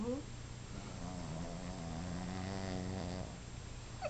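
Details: A 5-month-old Boston Terrier snores while napping, a low, rumbling, buzzy drone that wavers steadily through each breath.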